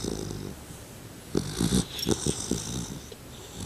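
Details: A two-month-old male Labrador Retriever puppy snores while asleep. A quiet start gives way to a run of rough, stuttering, low snorts and wheezy breaths in the second half, some louder and choppy.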